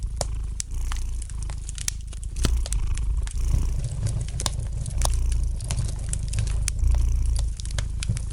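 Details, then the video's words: Low, even rumbling purr from a domestic cat in a small room, with frequent bright pops and crackles of a wood fire in the fireplace scattered over it. "Relax to the gentle purring of the cat and the light crackling of the fire in the fireplace!"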